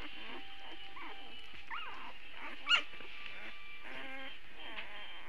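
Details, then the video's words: Puppies early Saturday, short whining whimpers and squeaks overlapping, one brief sharp yelp in the middle, constant faint hum behind. "More puppy sounds early Saturday"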